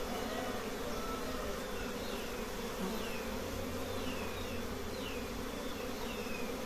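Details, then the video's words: Honey bees swarming at a simple open nest of many colonies; continuous low droning buzz with faint chirping bird notes sliding downward in the background. "Honey bee nests are simple but there are many colonies"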